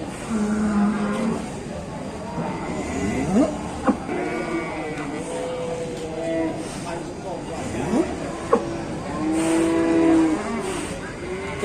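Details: Cow kept in an Indonesian pen, its voice said to be worn out after loud calling; a series of moderate harmonic moos with slides in pitch, mixed with people talking nearby.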